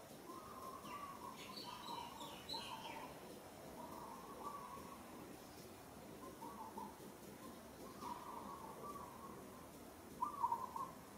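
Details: Monkey in Kampong Cham Province, Cambodia, struggling under rough handling by another monkey, giving repeated thin, mid-pitched whining cries in a steady series, with a louder wavering cry near the end and faint chirps in the background.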